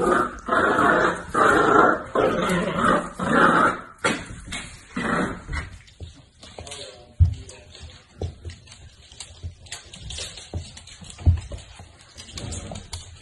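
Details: Mini Dachshund giving a run of loud, raspy barks over the first few seconds, then fading into softer scattered yips, thumps and low background rustling.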